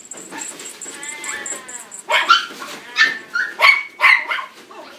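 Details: Young male black-and-tan Miniature Pinscher born June 2016, at a pet shop: a soft whine first, then five sharp high yelping barks about once a second, over a steady high electronic tone.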